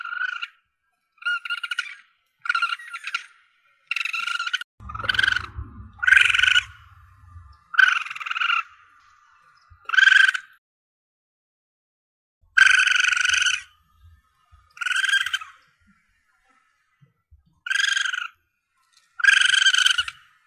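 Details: Young Asian palm civet (musang pandan), a recording offered to hunters as a lure for calling in targets: a series of about a dozen harmonic, nasal squeals, each under a second, repeated every one to two seconds, with a brief low rumble midway.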